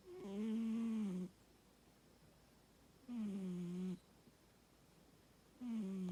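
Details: Pet American Shorthair named Mako asleep and snoring: three droning, humming snores with a steady low pitch, the first lasting over a second, the next two shorter, spaced by two to three seconds of near silence indoors.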